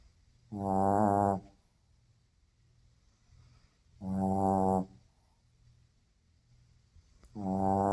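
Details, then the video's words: Shih Tzu asleep and snoring very loudly, with long buzzing snores close to a second each, repeated about every three seconds, quiet in between. "World's loudest snoring Shih-Tzu"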